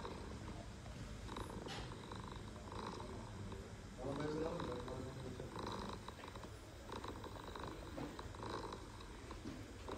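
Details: Mother stray cat in Istanbul talking to her kittens with a steady, low purr that pulses rapidly for ten seconds, a short higher trill rising midway, and faint street noise and voices behind.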